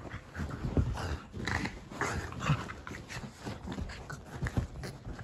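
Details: A Boston Terrier makes low, rough growls and snorting grunts in bursts while wrestling with his Keeshond brother.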